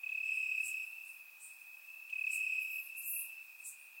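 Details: Crickets chirping in the grass at night on a warm summer night in Bulgaria, captured with a surround microphone: a steady high-pitched trill that swells and fades, with brief higher chirps layered on top.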